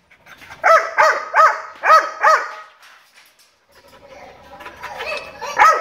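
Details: Dog barking: five quick, harmonic barks in a rapid run over roughly two seconds, then a quieter, muffled stretch before two more barks close the recording.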